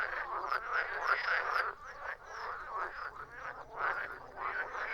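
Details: Croaking frogs in a busy chorus: clusters of harsh, pulsed calls come in bursts, with short squeaky notes on top and a brief lull in the middle.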